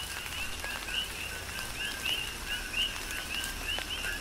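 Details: Big Island, Hawaii: coqui frogs calling through a tropical rain shower. Distinct rising whistled 'qui' notes follow softer lower 'co' tones, roughly every half second, with patter and drips of rain throughout.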